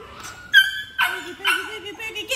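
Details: Boogie, a female American Labrador and future working dog, during toy play drive training with a handler: two sharp, high harmonic yelps about half a second apart, then a wavering squeaky tone, followed by the handler's voice.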